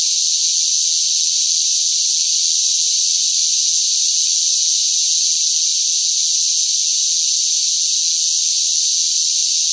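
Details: Noisy cicadas in sweltering summer heat make an unbroken shrill hiss-like buzz, even in loudness from start to end. Nothing else is heard.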